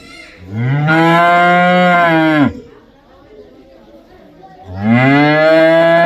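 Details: Cow mooing twice: a long, deep, steady moo of about two seconds, a pause of quiet, then a second moo starting, each rich and droning with a low, even pitch.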